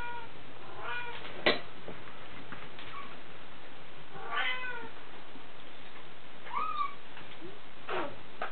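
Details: DeeDee, a six-week-old Bengal kitten born 13 January 2014, gives a few soft, high meows, each a short arched cry, spaced several seconds apart over a quiet indoor background.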